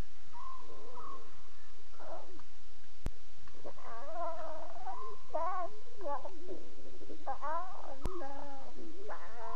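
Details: Lion cubs talking at 2:40 a.m. on October 5, 2016, during a Safari Live broadcast; a string of wavering, harmonic mewing calls that rise and fall, some short and choppy, over a steady background hiss.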